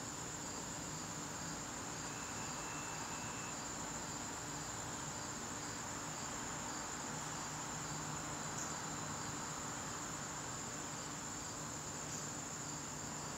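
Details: September evening chorus of garden crickets, a continuous thin high trill that never pauses, with a faint lower whistle briefly above a steady low background drone.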